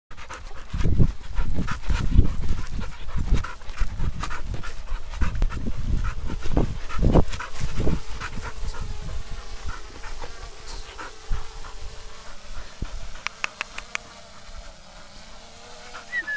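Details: Bernese Mountain Dog panting: loud, breathy low puffs in uneven bursts for the first eight seconds, fading to softer breathing with faint clicks and background hum.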